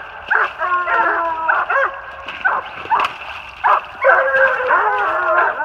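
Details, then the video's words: Treeing Walker Coonhounds, an open spotted female and two males, treed 450 yards off on a big den in New Jersey, 28 March 2018; loud overlapping bawls and choppy barks, repeated irregularly, some long drawn-out tones. "LOUD MOUTH WALKER DOGS TREED ON A BIG DEN 450 YDS"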